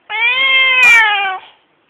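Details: A male Siamese cat, whose voice its owner calls horrible, gives one long, loud, harmonically rich meow that holds steady and then drops slightly.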